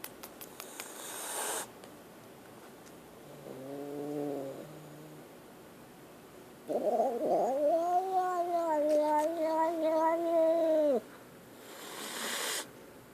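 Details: Frightened kitten making a short, flat mewing cry, then after a pause a long four-second wavering wail that rises and falls before dropping away; soft rustling noise at both ends.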